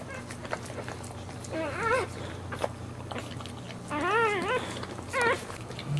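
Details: Boxer dog giving birth to four puppies, here the second, then licking the newborn, removing the placenta and starting its first nursing; high wavering harmonic whines in three bursts, the longest near four seconds, over a steady low hum and soft rustling.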